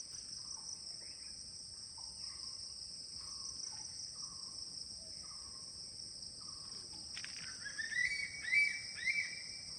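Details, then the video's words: Crickets shrilling on every side at ten in the morning at the CRP guest house, Kulaura, Moulvibazar: a continuous high-pitched ringing drone, soft descending whistles early on, then a louder bird's twittering phrases near the end. "চারদিকে শুধু ঝিঝি পোকা ডাকছে, কিন্তু এখন সকাল 10টা।"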